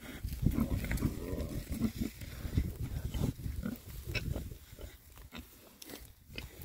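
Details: Six male rare-breed Oxford Sandy and Black pigs foraging happily outdoors in winter between storms; deep, low grunts come thickly and overlap throughout, mixed with rooting and rustling noises.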